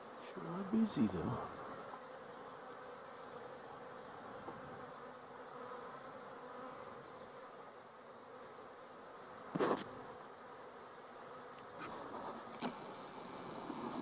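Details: Honey bees working a busy colony, filmed 12-11-23: an unbroken low humming drone from many bees, with a short spoken word early on, a thump near the middle and faint clicks later.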